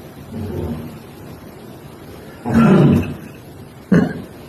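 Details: Cat snoring, giving low grumbling breaths: a soft rasp, then a louder, longer throaty snore, then a brief sharp snort.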